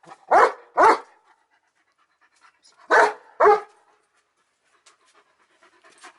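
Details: Odin the German Shepherd lets out two pairs of sharp, loud barks, each pair quickly doubled, with a pause between pairs, then faint shuffling and soft breathing noises toward the end.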